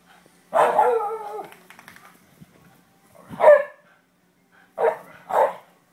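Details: Greyhound female at play with her mate: a drawn-out harmonic growling whine, then a sharp bark and two quick rough barks close together, each burst brief and separated by quiet gaps.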